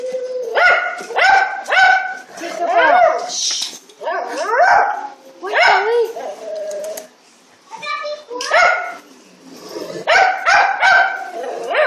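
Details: Grouchy Mastiff stamping about in an 'elephant dance', giving bursts of short, harmonic woofing grumbles in quick runs of three or four. Longer wavering, moaning notes rise and fall between the runs.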